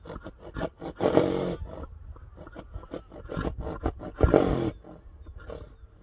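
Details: Friesian horse neighing, two loud bursts near the start and again about three seconds later, rough and strained over a low harmonic band, surrounded by repeated clattering and knocking sounds.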